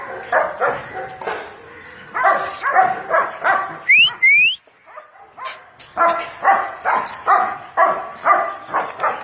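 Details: Pet dog in a bath, splashing and swimming, giving a run of short harmonic barks about twice a second, broken by a pause and two brief rising squeaks before the barking resumes.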